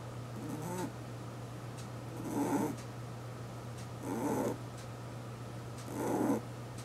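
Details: Eight-year-old pet rabbit snoring while asleep at home: soft, rasping, breathy snores recurring about every two seconds, four in total, over a steady low electrical hum in a quiet room.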